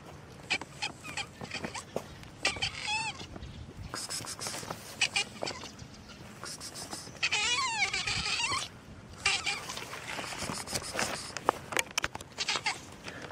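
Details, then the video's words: Black stray domestic cat in the street giving several drawn-out, wavering meows with rising then falling pitch, the longest near the middle, between sharp clicks and ticks of street noise. "Gato preto meow na rua"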